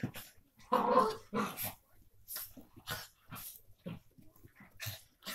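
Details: Miniature Pinschers Mercie and Maddie, half sisters, playing together: a loud growling burst near the start, then scattered short grumbles and snuffly scuffling sounds spaced through the rest.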